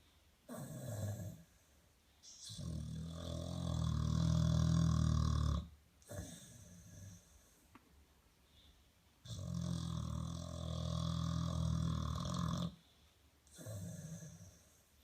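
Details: Duffy, a pet dog asleep and snoring loudly, gives long rasping, rumbling snores of about three seconds each, separated by quiet pauses, deep and throaty with a rough texture.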